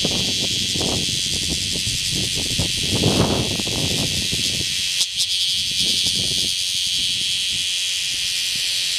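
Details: Male bear cicada singing in a citizens' forest at Kaizuka, Japan, on 27 July 2015, keeping up its call while moving and pumping only its abdomen; a dense, harsh, unbroken buzz fills all nine seconds, with soft low rustles and knocks underneath.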